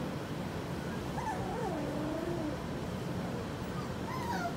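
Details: Four-week-old puppies from Skittles' litter, with soft, thin whimpers that waver up and down, one longer wobbling whine near the start and a shorter falling one near the end, over a steady low background hiss.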